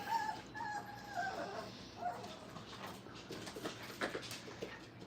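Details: Five-week-old Brittany puppies playing at a training kennel give thin, high whimpers and short whines over the first two seconds, fading into soft scuffling and low room noise.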